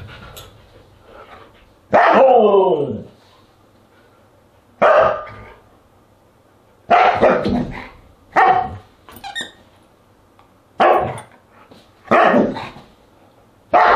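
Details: Siberian Huskies at a dinner party on August 10, 2022: a long drawn howling bark with falling tones, then a series of short, loud barks spaced one to two seconds apart, with quiet gaps between.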